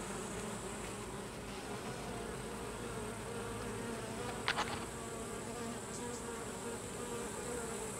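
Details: Carniolan honey bees during the slaughter of the drones, when drones are driven outside, give a steady, dense hum of many wings with a brief sharp click midway.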